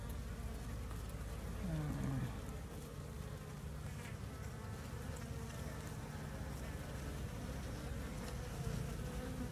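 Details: Asian honey bees (Apis cerana, Apis indica), a swarm newly separated from its parent colony, being moved by hand into a box. A dense, steady low hum of many wings continues throughout, with brief human voice near the start.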